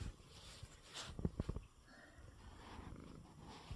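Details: Coco, a male pet cat recovering from illness with ointment in his eyes, purrs while resting in his bed after eating; a low, rumbling pulsed purr sits under faint handling noises and soft clicks.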